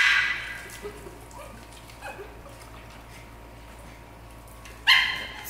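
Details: Norfolk Terriers playing in a pool, one loud sharp bark at the start and another about five seconds later, over steady background noise.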